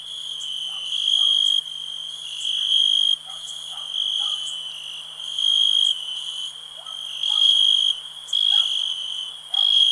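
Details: Shrill cricket trill ringing without pause, louder bursts arriving every second or two, with faint short calls and a low steady hum in the background.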